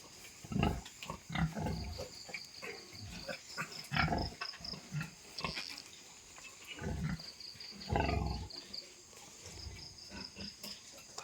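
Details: Farm pigs around a sow with a fresh litter of piglets: a run of low, rough grunts and snorts at irregular intervals, over steady, high-pitched pulsed chirping in the background.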